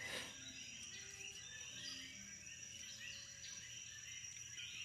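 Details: Nighttime insects on St Thomas, Virgin Islands, form a dense, continuous high-pitched chorus of steady buzzing and shrill trilling tones, with a few faint lower whistled notes drifting beneath and a brief louder rustle at the start.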